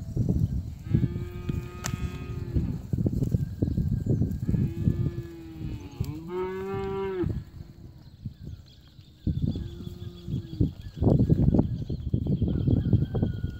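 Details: Red Brangus cows, part of a herd of 98 in Brazil: several low, steady moos, each lasting about a second, some with a rising then falling tone, over loud wind buffeting and brief speech.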